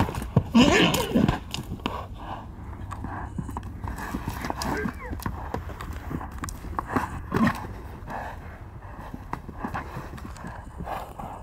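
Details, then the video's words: Wild stallions in Arizona during a fight: a sharp squeal opens, followed by a steady clatter of hooves, further short squeals and snorts, and faint human voices. "Insane Wild Horse Fight in AZ"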